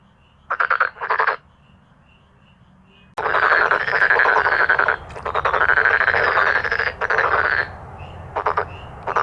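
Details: Male black-spotted pond frogs in a loud croaking chorus; two short rattles, a pause, then a burst of overlapping pulsed croaks lasting several seconds, ending with short rattles.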